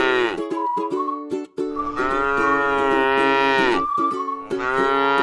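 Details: A tame cow grazing on grass in a rice field moos: a short moo opens, then comes a long sustained low moo, and another moo starts at the end. Short higher tones sound in the gaps.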